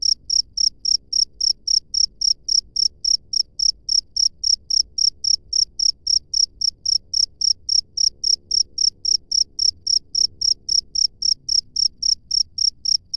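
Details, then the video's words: Cricket chirping in the wild, a steady series of short high-pitched chirps, about four per second, continuing without pause over faint low background rumble. "SUARA JANGKRIK LANGSUNG DARI ALAM BEBAS"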